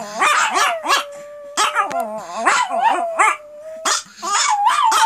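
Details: Pet Pomeranian females howling together after their owner starts howling; a sustained steady howl note runs under bouncing, wavering yelps and short barks, several dogs calling at once.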